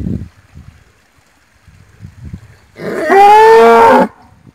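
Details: Cattle bellowing: one loud, rich, harmonic call lasting just over a second, held fairly steady with a slight rise before cutting off, preceded by quiet low thumps and rustling.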